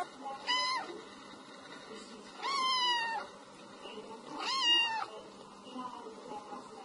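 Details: Domestic cat meowing to chase off mice: three clear, loud meows about two seconds apart, each rising then sliding down with rich harmonics, with faint softer mews between them.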